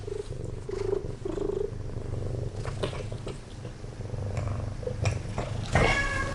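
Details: Talkative rescued kitten, too fond of its foster mother cat to leave her, gives three soft short chirping mews within two seconds over continuous low purring, then one louder harmonic meow near the end.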